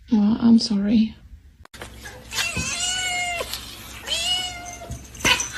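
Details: Kitten meowing amid a compilation: a short low voiced sound, a pause, then two drawn-out, high, slightly falling meows with strong harmonics, separated by a click, with laughter and room noise around them.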